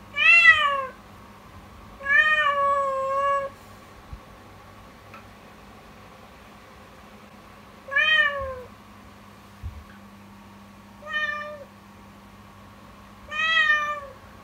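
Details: Yukimi, a kitten meowing loudly and insistently from morning on in an alarming voice; five strong, harmonic cries, some long and wavering, each sliding downward, separated by short pauses, with a low electrical hum behind.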